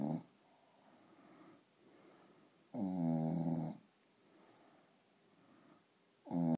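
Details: Sleeping Staffordshire Bull Terrier giving a long, rumbling, vibrating snore lasting about a second, then soft breathing before the next snore begins at the end.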